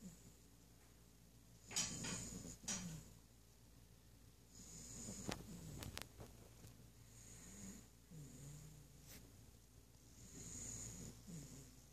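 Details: Eight-week-old yellow Labrador Retriever puppy asleep indoors, snoring softly: low, breathy rumbles with hissing exhalations every couple of seconds, broken by a few sharp clicks and knocks in a quiet room.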